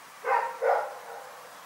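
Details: A dog named Rex barks at night, giving two brief, rough barks in fast succession before falling quiet.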